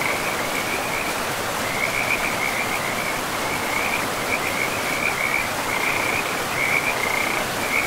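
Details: Forest frog chorus near a river: an unbroken high-pitched pulsing trill, louder in clustered bursts toward the end, layered above broad rushing water.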